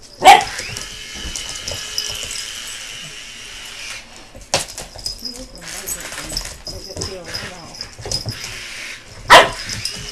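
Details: American Bulldog puppy named BooBoo reacting to a helicopter. A steady mechanical drone fills the first seconds, broken by a single loud bark at the start, another mid-way and a final sharp bark near the end, with human voices in between.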